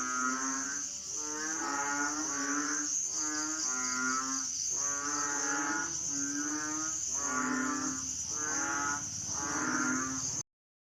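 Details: Hing frogs from Asia call together in overlapping, nasal, mooing notes at about one per second for ten seconds, then stop abruptly. A continuous high insect drone runs throughout.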